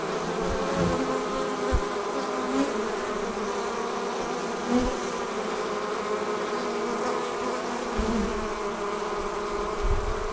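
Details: Honey bees departing their hive and forming a swarm, a dense, steady buzzing hum with a low droning band and occasional soft thumps, continuous throughout.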